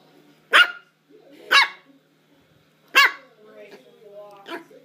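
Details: Female Havanese puppy barking while playing: three sharp, bright barks about a second apart, then a softer, higher yip near the end, with quiet voices between barks.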